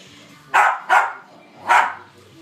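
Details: A West Highland White Terrier plays at Christmas while chasing a remote control skateboard. It gives three short, sharp barks: two in quick succession, then a third after a pause.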